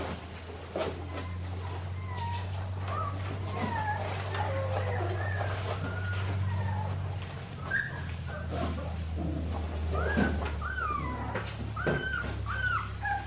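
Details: Young Australian Shepherd pups from Clementine's litter at an Oklahoma farm let out scattered rising and falling whines, louder toward the end, over a constant low droning hum.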